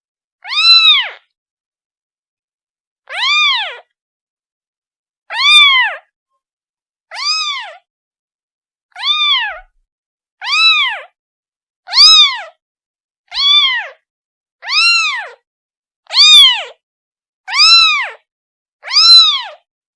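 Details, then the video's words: A kitten cries out for its mother with a steady run of about a dozen short, arched meows, each rising and dropping in pitch, coming roughly every one and a half seconds in an otherwise quiet setting. "The sound of a kitten calling its mother"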